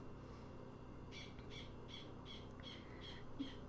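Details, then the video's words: Prairie dog chirping in the background of a quiet indoor scene: a run of seven sharp, bright chirps about three per second, starting a second in, faint over a steady low hum. "Nice little prairie dog chirping in the background there."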